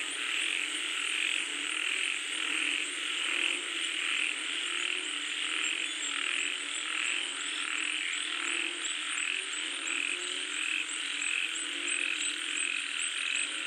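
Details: Frogs calling as rain falls, a dense chorus of many overlapping callers with steady pulsed, rasping notes high in pitch, repeated roughly every second and blending into a continuous shimmering wall of sound.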